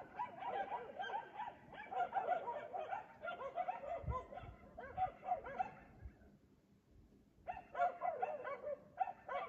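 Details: At 3 AM in Aliseda (Los Galaperos) a dog barks, as it does every night while its owners sleep; long strings of fast, rough barks run for several seconds, fall silent briefly, then resume with renewed intensity.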